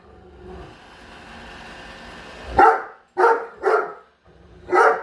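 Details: Great Dane named Padme barking indoors at a Roomba she dislikes; after a stretch of machine noise come four sharp, loud barks spaced roughly half a second apart.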